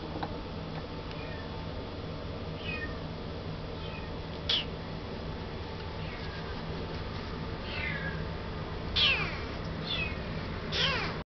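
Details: A young male Russian Blue, born 19 January 2012, at a pet shop in Yokosuka, Kanagawa Prefecture, Japan, gives high, falling mews about every two seconds, a few louder and sharper. A constant low room hum runs beneath.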